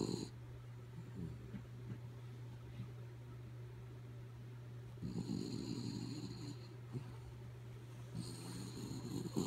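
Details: Sleepy dog Kaya Boo snores in rough, breathy bursts, a loud one at the start and others around the fifth and eighth seconds, with softer breathing noises between; a constant low hum continues throughout.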